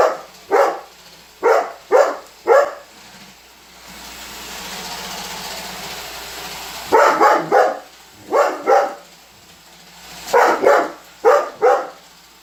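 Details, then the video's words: Holder the Weimaraner keeps barking the whole time a robot vacuum runs; short bursts of sharp barks, then a three-second stretch of mechanical whirring, then more clustered barking. "Roomba robot vacuum vs Holder - Holder The Weimaraner"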